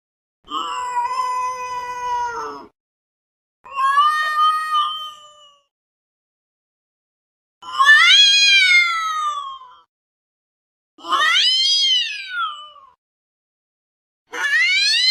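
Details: Domestic cat uttering a series of weird drawn-out meows, five calls about two seconds long with pauses between; early ones steady and level, later ones rising then falling in a bending wail.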